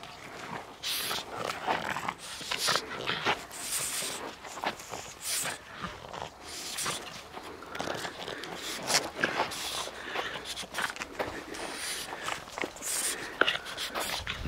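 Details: Chili, a dog, at play: a constant run of breathy, scuffling bursts and snorty huffs, rising and falling in loudness with no steady rhythm across the whole stretch.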